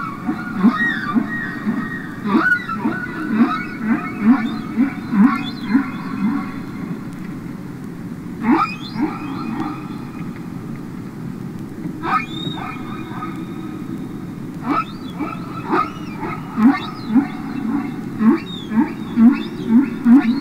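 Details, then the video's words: Singing humpback whales underwater, Capitol Records ST-620 recording: a run of short pulsing grunts and clicks, with brief upward squeals and faint high wavering tones scattered through, against a continuous low hiss. "Listen to Songs Of The Humpback Whale"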